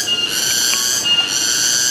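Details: A cicada in shady, forest-like woodland on the trail down to Grojogan Sewu waterfall, Tawangmangu, Indonesia, gives a loud, steady, high-pitched buzz that drones on without a break.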